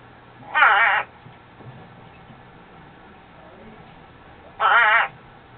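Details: Pet spadefoot toad producing its rare natural mating call, two separate bleat-like croaks about four seconds apart, each half a second long and trembling, over a quiet room hum.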